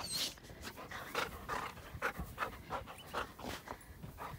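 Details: Black female Labrador Retriever exercising by hiking through deep snow in Utah, panting hard in quick breathy huffs, roughly two to three per second, steady and rhythmic, with faint crunching underneath.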